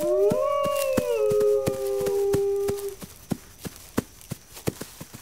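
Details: Two wolves howl at once, their smooth tones rising then gliding down and fading after about three seconds; afterwards only sharp, irregular cracking clicks remain.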